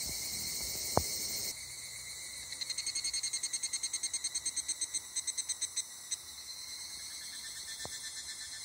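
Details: A summer chorus of Japanese cicadas in a forest: a dense, high shrill drone with a run of rapid pulsing buzzes.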